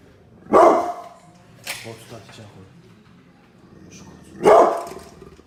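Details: A pit bull barks very loudly and angrily, giving two harsh barks a few seconds apart with a quieter voice in between.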